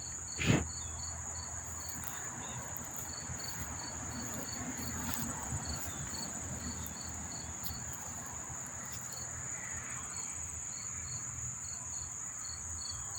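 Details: Crickets chirping in a chorus near Monmouth Park Racetrack, New Jersey, September 4, 2023: a continuous shrill trill with rows of rhythmic short pulsed chirps, one sharp knock near the start, and a low hum underneath.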